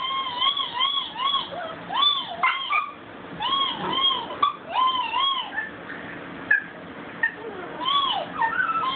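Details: Pet dog howling, phone-recorded: several arched, quavering howl notes in short runs, thinning toward the end into fainter, scattered whimpers.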